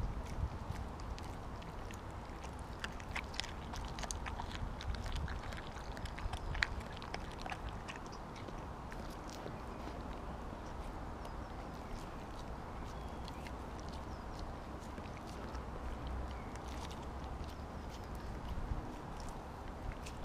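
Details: A Siberian Husky named Kobi eats a whole raw mackerel at once. Scattered crunching clicks and gnawing come in irregular bursts, busiest early on, over a constant low background rumble.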